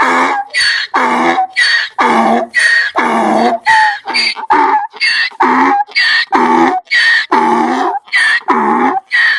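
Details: Donkey braying, a compilation sound a donkey makes when angry or afraid: a rhythmic run of loud, harsh, harmonic hee-haw bursts, roughly one per second, alternating higher and lower notes throughout.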